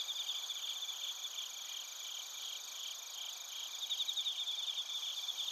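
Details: Bell crickets and other crickets, Narita, Chiba, Japan, taken on a TASCAM Portacapture X8: bright pulsed chirping bursts at the start and near the end rise from a continuous high shimmering insect chorus with steady ringing overtones.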